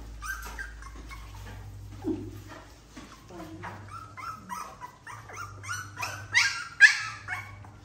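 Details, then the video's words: Puppies playing indoors, giving short high whimpers and yips scattered through the clip, rising to a few sharper barks near the end, over a steady low hum and people talking. "Puppies playing"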